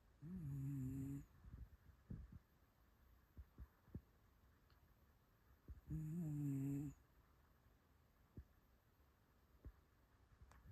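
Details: Shiba Inu named Mame, indoors asleep at night after a weekend outing to a park and dog-friendly cafe in a neighboring town. Two low, droning, rasping snores about a second long, roughly five seconds apart, with faint soft clicks between them.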